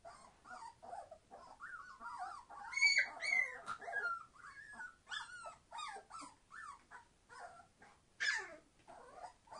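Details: Entlebucher Mountain Dog pups, 21 days old, litter born 26 September 2015, very noisy with wavering whines, sharp yelps and squeaks tumbling over one another, one shrill cry standing out near the end.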